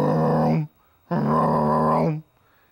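A male American bullfrog gives two deep, resonant, drawn-out croaks, the second longer than the first.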